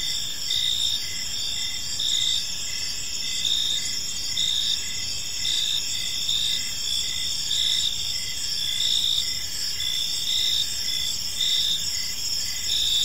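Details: Evening park chorus of crickets, gentle and continuous: dense high-pitched trilling with regular pulsing bursts about every second and a half, layered over a constant shrill drone and soft low rumble.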